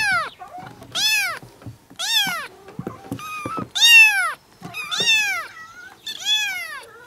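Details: Meowing kittens whose calls are said to bring cats over: seven bright, strongly arched mews in a steady series, roughly one per second, each sweeping up then down, with soft clicks between.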